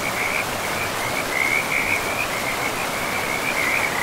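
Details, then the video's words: Frog chorus from a moss-covered forest by a river: an unbroken, high, warbling trill with fast choppy pulses and slight rises and falls, carried over the constant hiss of running water. "River and Frogs sleep sounds"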